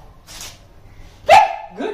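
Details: A Boxer dog being trained to bark on the command "speak" gives a single sharp, loud bark, followed by a shorter yelping sound; it is rewarded with treats for making a sound.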